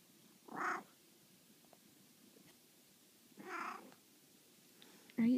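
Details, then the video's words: Maine Coon cat waking its owners up with affection, telling them it's time to get up; two short, bright meows about three seconds apart, with a brief sound at the very end, in a quiet room. "Maine coon wake up"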